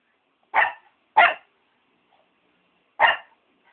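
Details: Shih Tzu dog barking three times, two quick sharp barks in a row then a third after a short pause, each bark brief and bright, in otherwise quiet surroundings.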